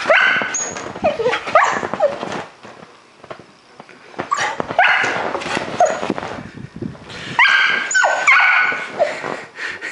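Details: Prospect, a dog upset by a cat sneaking into his yard at night, gives rapid high-pitched whines and yips in clustered bursts, with a brief quieter lull in the middle.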